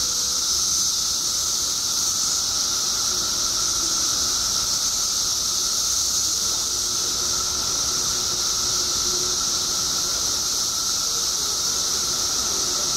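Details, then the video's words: Periodical cicadas, billions emerging in Illinois after 17 years underground, massed in a steady, loud, hissing drone, with a bright high band and a lower whining pitch running unbroken throughout. "Billions of Periodical Cicadas Emerge After 17 Years Underground Cicadas Making Noise"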